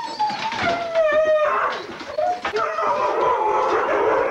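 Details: Sled dogs, huskies at a November 2001 race weekend in England's Forest of Dean, recorded on old VHS: long sliding howl-like tones and excited whines over a busy background, with a voice possibly mixed in.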